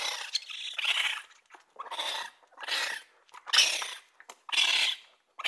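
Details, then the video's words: Raccoon making raspy, breathy hissing bursts roughly once per second, each rough burst carrying faint squeaky edges, separated by brief silences. "Raccoon sounds | The amazing sounds of raccoons"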